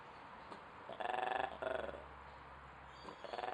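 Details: Weird noises from an ape at Duisburg Zoo: two rapid, buzzy, pulsed bursts back to back, a pause, then a third pulsed burst starting at the close.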